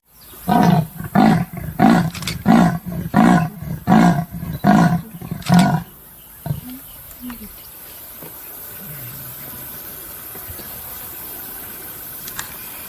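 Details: Leopard calling with around eight deep, hoarse strokes at an even pace of roughly one per 0.6 seconds, then falling silent; afterwards only a few faint low sounds over a steady background hiss.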